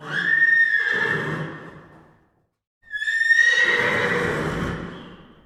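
Two full whinnies from a horse, separated by a brief silence. Each begins with a piercing high squeal and breaks down into a rougher, quavering neigh that fades out.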